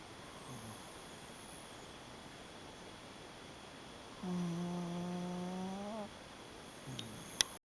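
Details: Shiba Inu asleep and snoring: after a quiet stretch comes one sustained, buzzing, even-pitched snore of nearly two seconds with layered overtones, followed by a faint murmur and a sharp click at the end.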